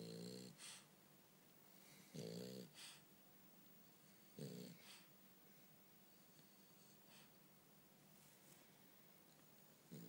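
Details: French Bulldog Bumble B asleep indoors, giving short rasping snores at first roughly every two seconds, then fading to soft breathing; faint background hiss throughout.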